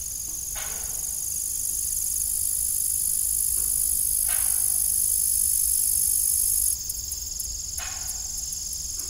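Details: Crickets chirp in the evening beside an old, rusty farm windmill, a dense high-pitched continuous trill that shifts to rapid pulsed bursts near the end. Faint intermittent creaking and low background rumble.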